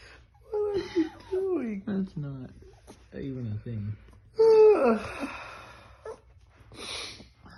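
A Chihuahua gives a run of whiny, speech-like yowls, each sliding downward in pitch.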